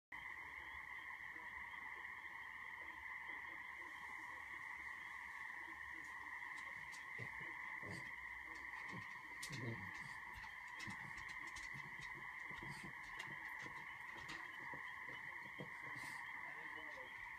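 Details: Many frogs calling loudly in a backyard in Franklin, Maine, form a dense, unbroken chorus of steady droning trills that holds throughout, with scattered clicks and faint knocks in the foreground.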